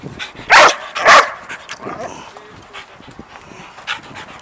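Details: Excited, jumpy dog reacting to an unseen squirrel: two sharp, loud barks about half a second apart, followed by softer scattered whimpering noises and quiet indoor background.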